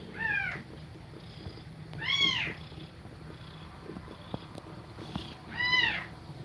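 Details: Cat nursing its kittens, breathing fast while they feed: three clear, arched meows about two seconds apart, each rising then falling, over a soft, steady low rustle.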